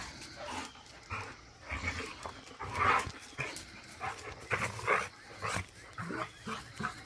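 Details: Big Rottweiler named Duke wrestling with a puppy: rough, breathy growling bursts and grunts come in uneven pulses about every half second, with scuffling and panting between them.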